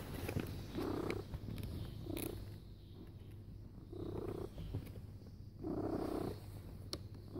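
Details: A cat lies down purring loudly: a rhythmic low rumble swelling in bursts roughly every one to two seconds, each breath cycle audible as a louder buzzing phase, with a faint hum underneath.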